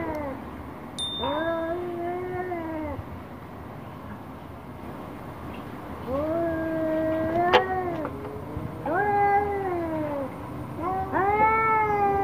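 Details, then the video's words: Orange cat angry at a black cat yowls repeatedly: five drawn-out, wailing cries, each rising, holding, then sagging, spaced every two to three seconds. A sharp click sounds midway and a brief tone near the start. "KUCING Oren Marah Marah Sama KUCING Hitam"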